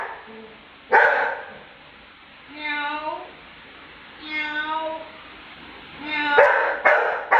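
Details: Lucky, a pet Labrador who couldn't tolerate mocking, answers with single loud barks between long, sliding human voice sounds mimicking him, ending with a cluster of three quick barks.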